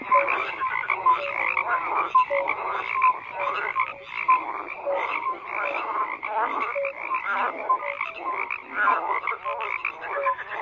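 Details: Many frogs calling at once: steady pulsing croaks overlaid with short whistled notes that recur roughly every second, forming an unbroken night chorus.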